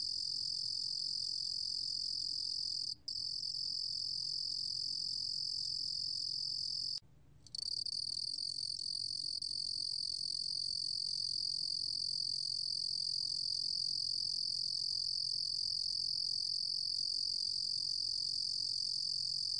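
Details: Steady high trill of a Ruru-gom cricket from 2020 National Institute of Biological Resources material. A quick break early on and a half-second pause are followed by unbroken, even buzzing to the end.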